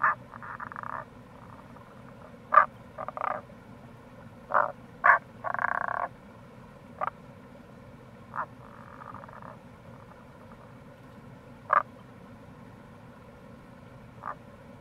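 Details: April chorus of Tago's brown frogs (Rana tagoi) by a gorge at Kamo River, Itoshima, Fukuoka, Japan: brief knocking croaks mixed with longer rolling trills, some calls overlapping, set against a continuous hiss of running water.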